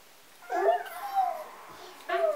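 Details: Three-day-old Golden Retriever puppies, sleepy and being cuddled by children on a Vermont country farm, indoors; a thin, wavering whimper rises and falls for about a second, then a second short squeal follows.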